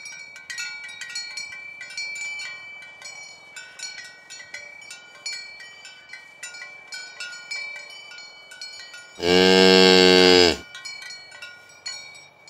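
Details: Cattle from a herd of dozens walking through green grass fields toward the pen in the morning. Steady tinkling cowbells run throughout, then one loud, rich moo lasts about a second and a half near the end before the bells continue.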